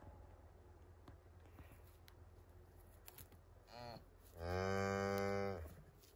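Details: Highland cattle on a farm in Finland, a one-day-old calf following its mother cow through forest, 29 October 2022, recorded on an iPhone 11: a short soft call, then one loud harmonic moo held about a second over quiet background rustle.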